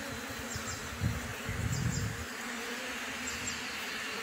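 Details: Bees hum continuously at a new beehive in its first weeks; a low rumbling burst of wind or handling noise rises between one and two seconds, then the even drone carries on alone.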